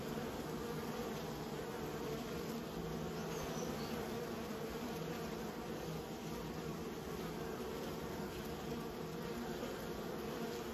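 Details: Honey bees kept by a beekeeper, a dense steady hum of many bees with a broad drone band around the low-mid range, continuous and even throughout, no other clear sounds.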